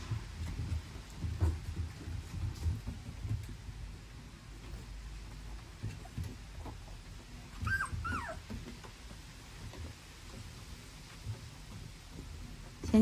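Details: Staffordshire Bull Terrier puppies in a litter that includes the weakest pup, named 感叹号; brief high, wavering whimpers rise and fall near the eighth second over low rustling and shuffling, with a woman talking nearby.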